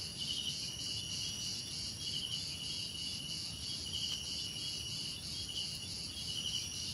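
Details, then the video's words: Crickets chirping together in a dense insect chorus, with steady high bands and pulsing trills repeating roughly every two seconds over a low background hum. "Relaxing Cricket Sounds"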